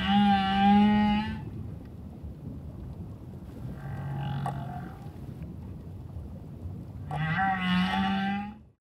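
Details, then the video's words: A humpback whale sings near a diver off Moorea, French Polynesia, on October 15 while somersaulting, its notes strong enough to vibrate through his chest: long, moaning tonal notes rich in overtones, with quieter pauses. "Diver Serenaded With Underwater Whale Song"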